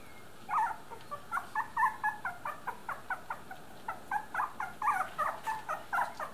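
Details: Three-week-old Miniature Dachshund puppies of a litter whimpering: a steady run of short, high, whiny yelps, roughly three or four each second, some rising and falling, over a quiet room background.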